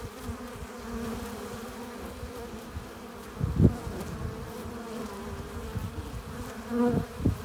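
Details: Honey bees entering their hive with pollen and nectar make a low constant hum, broken by two louder close buzzes of single bees near three and a half and seven seconds.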